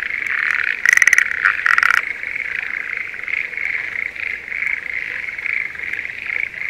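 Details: Schlegel's green tree frog in breeding season, calling from a spring rice paddy near Sendai, Japan: loud pulsed rattling bursts near the start stand over a dense, steady chorus of many frogs.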